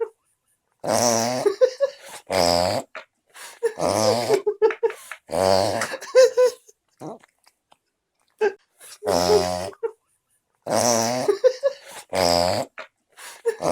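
A French Bulldog puppy snores in loud, rattling, nasal snorts about every two seconds.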